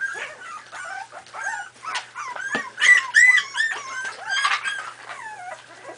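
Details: A litter of 4.5-week-old Miniature Pinscher puppies at play, heard as continuous overlapping whines and bright squeaks, some drawn out with curving pitch, a couple of louder squeals in the middle.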